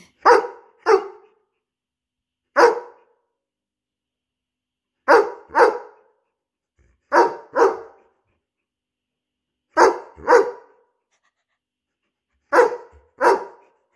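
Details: Playful barking from Arlo, a 17-month-old Borzoi, in his nightly energetic spell of tug of war or fetch: short barks mostly in doubled pairs, about eleven in all, spaced by gaps of one to two seconds, indoors.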